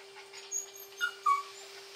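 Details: Female puppy giving three short, high whimpering squeaks, the last one the loudest and slightly falling, over a steady background hum.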